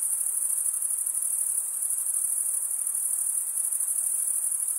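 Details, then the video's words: Continuous chorus of male crickets stridulating, a shrill, evenly pulsing high trill that never pauses, with a faint soft hiss beneath and nothing else audible. "Most relaxing cricket sound"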